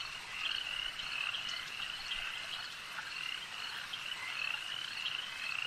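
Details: Lakeside frog chorus, many voices overlapping in a constant high buzzing trill that swells slightly and fades in waves, sharper clicks and chirps scattered on top.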